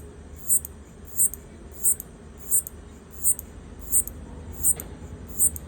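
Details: Locust making clicking sounds to communicate with its partner, filmed on an iPhone: eight short, high, ticking clicks at a steady rhythm, about one every 0.7 seconds, with a soft low hum behind.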